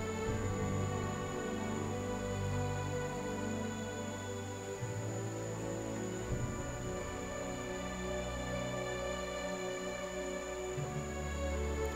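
Soft, sustained ambient music with low drones and gentle tones, with no animal voices.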